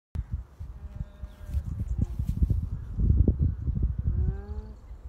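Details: A llama named Luca gives soft, nasal hums, low and slightly wavering, over heavy low rumbling and thumps.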